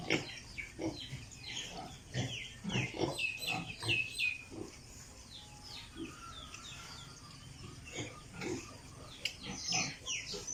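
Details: Piglets on a pig farm giving high, thin squeals that slide downward, many overlapping in quick bursts, with short grunting pulses between them and a steady background hum.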